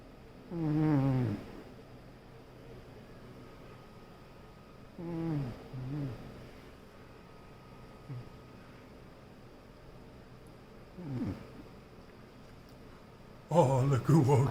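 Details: Sleeping female raccoon Nawty snores loudly. Four rasping harmonic snores come at uneven intervals, each dropping in pitch, with the later ones fainter and shorter. A burst of rustling at the end comes as she wakes.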